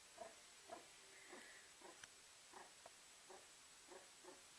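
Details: Meerkat warming itself by a fireplace indoors, giving soft, short low chirping calls spaced irregularly about every half second, with a faint steady background hiss.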